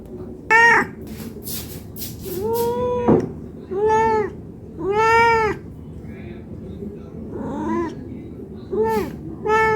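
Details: Cat meowing for food from hunger, a mix of short chirpy meows and longer drawn-out ones at uneven intervals, with brief clicks and tapping noises between calls.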